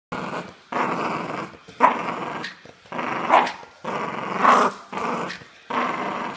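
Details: Aggressive Jack Russell Terrier growling in a string of six rough, throaty bursts, each roughly half a second to a second long, separated by brief silent gaps and rising in intensity near the end of some bursts.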